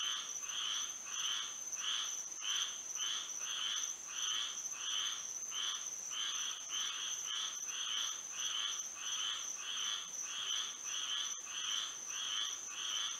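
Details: Nighttime frog chorus in Florida by moonlight: many frogs calling together in quick, regularly pulsed croaking bursts, layered over a continuous thin high-pitched drone.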